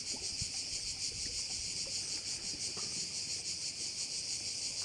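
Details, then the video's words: On Korčula in Croatia, crickets by a bay fill the air with an unbroken high-pitched buzz that swells and fades in rapid rhythmic beats, with faint low background noise. "Korčula - view of one of the bays in Korcula with sounds of crickets"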